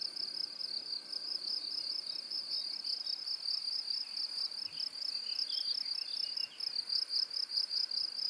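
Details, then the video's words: Cricket chirping in a steady, high-pitched pulsing trill, the rapid pulses running without a break, with a faint higher overtone above and some soft, scattered chirps in the background. "고주파_귀뚜라미2 / High-Frequency_Cricket2"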